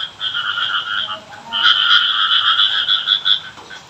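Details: Frogs calling during rain in a village, heard as a folk call for rain: a steady two-toned buzzy croaking, a shorter burst then a longer unbroken run with slight pulsing throughout.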